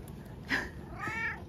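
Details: Rescued male cat, born spring 2019 (estimated), indoors in Shiga Prefecture, Japan, pacing back and forth after finishing a pouch of wet food; one short meow followed by a longer harmonic meow, with a woman's voice nearby.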